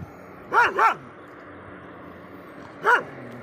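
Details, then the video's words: Dog named Shiro barking at other dogs, giving a quick double bark followed by one more bark after a pause, over a steady background hum. "Shiro is barking at the other dogs | dog barking"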